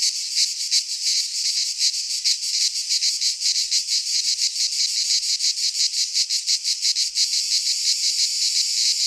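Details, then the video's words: Cicadas singing in midsummer in a Greek pine forest: a dense, continuous high buzzing chorus, pulsing rapidly in rough waves, with a slight shift in texture near the end; no other sounds stand out. "Cicadas singing in midsummer - Nature sounds from the Greek fauna - Sounds of cicadas"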